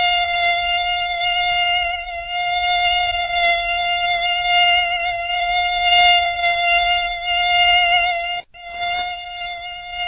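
A mosquito's thin, high whine holds one steady pitch, with a single brief break near the end.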